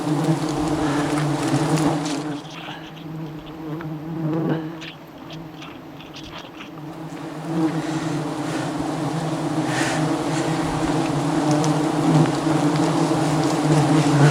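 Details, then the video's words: Aggressive swarm of honey bees attacking a honey hunter during wild honey harvesting high above the jungle; a dense, steady low droning hum from thousands of bees, dipping briefly midway, with a man exclaiming nearby. "Aggressive Bee Swarm"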